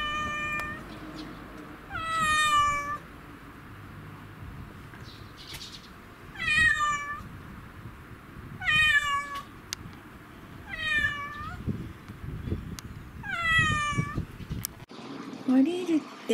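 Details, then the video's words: Excited black-and-white house cat riding in a bicycle basket it loves, calling loudly: five loud, drawn-out, falling meows roughly every two to three seconds with quiet gaps, then a short soft mew and a rustle at the end. "鳴き声がかわいい〜ママチャリに乗る猫「ハッチ」…カゴに入ってウキウキ！？Cat Meowing"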